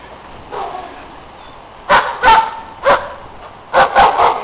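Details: Several sharp dog barks in snow, a faint one first, then pairs and a quick triple burst toward the end, from neighbours' dogs being loud while other dogs play.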